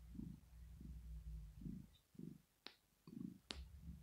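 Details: Female cat Rosetta purring while asleep, a sign of pleasure or relaxation; a few low rumbling pulses sit over a steady low music drone, with two sharp clicks between them.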